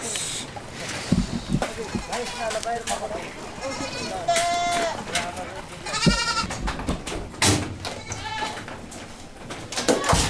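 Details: Boer goats on a farm; several short wavering bleats, one prominent arched call near the middle, mixed with frequent clattering knocks and human speech.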